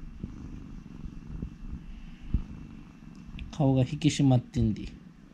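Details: Continuous low purring from Urara, a former rescue cat, as her owner talks to her and strokes her; a quiet rumble fills the first seconds before a man's voice speaks over it.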